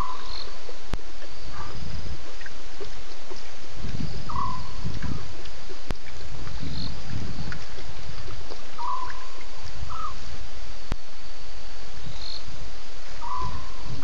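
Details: At least two lions roaring at Djuma waterhole at 01:30 a.m. on 11 November 2016; deep rumbling low pulses repeat every one to two seconds under steady hiss, with short chirping calls of other animals scattered above.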